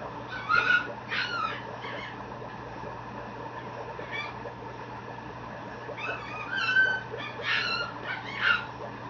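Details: Mame Shiba puppy, a male born 9/3, at a Japanese breeder's kennel, giving a series of high whistly whimpers and yelps in two bursts, each a cluster of short squeaky cries, over a steady low electrical hum.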